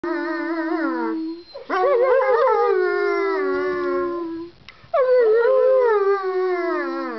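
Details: Dog howling: three long, tonal howls of one to three seconds each, sliding slightly downward with wavering pitch, separated by short breaths.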